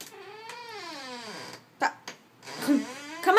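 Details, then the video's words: Siamese cat demanding to be let outside into the sun: one long, loud, wavering meow that slides steadily downward over about a second and a half, followed by short clicks and the start of another cry. "Cute Talking Siamese Cat"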